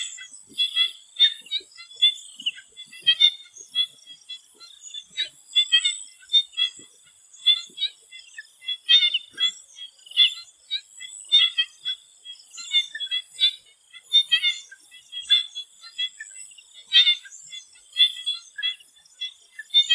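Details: Swamp frogs calling before sunset in Thailand: a dense chorus of short, pulsed croaks and clicks, many overlapping in rapid bursts, with a steady high insect hiss above.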